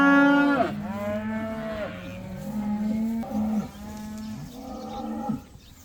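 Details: Cows, part of a herd of about 80 let outside for the first time, moo repeatedly: a loud opening bellow followed by several long, steady, harmonic lows overlapping one another.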